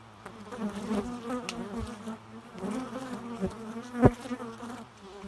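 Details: Bee buzzing, a continuous wavering drone with rich harmonics, swelling and easing as bees move near, with a brief sharp click.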